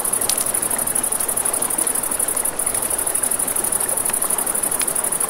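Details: Crickets chirping at night near a river in a fast, regular high-pitched pulse, with flowing water beneath and sharp crackles from a campfire.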